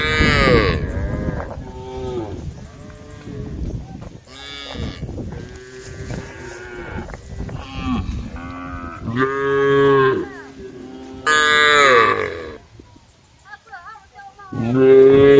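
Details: Female village cow giving a long series of moos, some short and some sustained, rich and nasal with bending pitch, rising in loudness near the end, with quieter rustling between calls.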